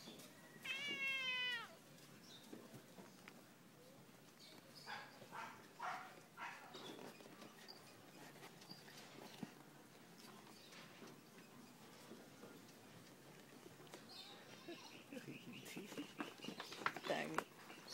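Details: Ambo, a pet cat, annoyed on a fine afternoon, gives one drawn-out, harmonic meow near the start; afterwards only soft rustling, shuffling and quiet clicks follow.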